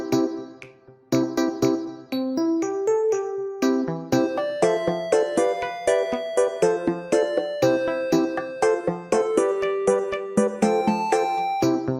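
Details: Bright piano or electric keyboard melody plays throughout, with steady rhythmic notes and no animal voices heard.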